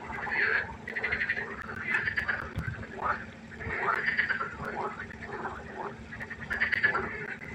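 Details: Nighttime pond chorus of frogs: rattling, pulsed croaks in short bursts of about half a second, several callers overlapping and answering one another, over a faint steady hum.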